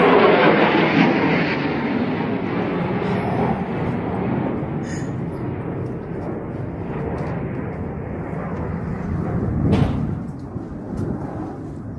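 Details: A continuous broadband roar like passing traffic or wind fades slowly over time, with a few faint clicks and no animal sounds.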